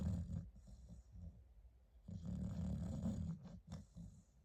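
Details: Sleeping Staffordshire Bull Terrier puppy snoring, a low rattling, snorting breath that rises and falls in two main bursts, with a brief sharp sniff near the end.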